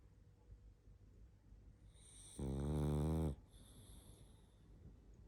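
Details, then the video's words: Pug Barney asleep, snoring and snuffling; a single long, loud vibrating snore of about a second, harsh and buzzy, set against quiet breathing and a faint room hum. "Барни спит.Сонный мопс.Храп и сопение собаки"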